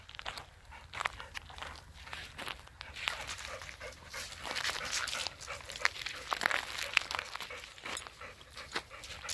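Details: Huka, a female Labrador Retriever who loves to swim, grabs a rope with her teeth to haul herself out of water; quick breathy hissing bursts come in irregular rhythm, mixed with splashing and rustling.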